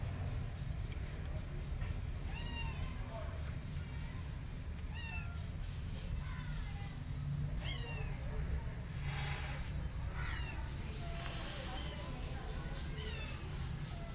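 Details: Kittens grooming their mother cat, who attacks and loves them at once; a string of short, high, down-curving mews repeats every second or two over a steady low rumble, with brief hissy bursts near the end.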